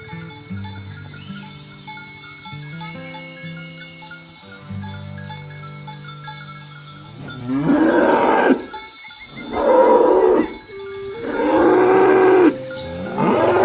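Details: Cows pushed through a rice field ditch on their way to the farm pen; several seconds of background music alone, then three loud moos in quick succession.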